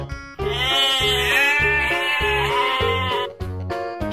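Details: Sheep giving one long, loud, quavering bleat of about three seconds, wavering in pitch, with rhythmic background music throughout.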